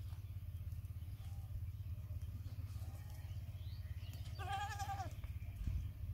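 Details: Baby goat giving one short wavering bleat with stacked harmonics midway through, over a steady low rumble of engine-like background noise.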